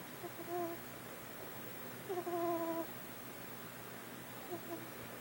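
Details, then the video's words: A 4-week-old kitten snoring: soft, whistled nasal tones on three breaths, a short one first, a longer steady one in the middle, then a faint brief one near the end, over low background hiss. "Snoring kitten"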